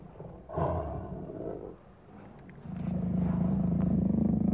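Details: Lion giving a deep, droning roar: a brief rough burst, a pause, then a long sustained low vibrating roar that holds steady and pulses rapidly to the end.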